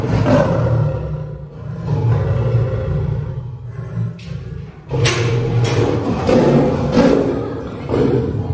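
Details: At Paragpur Zoo, Himachal Pradesh, India, a caged three-year-old lion and lioness pair from an animal exchange programme give heavy, low, grumbling roars, sustained over several seconds, easing briefly midway and then swelling again.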